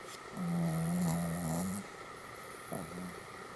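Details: Sleeping Pomeranian dog in a Goromaru pose, snoring: a drawn-out, low, rasping snore of about one and a half seconds, then a shorter snore near the end, with a steady electrical hum and faint hiss indoors.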